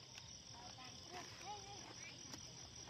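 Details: Many crickets in chorus give a continuous shrill, high ringing trill, with faint human voices murmuring beneath it partway through.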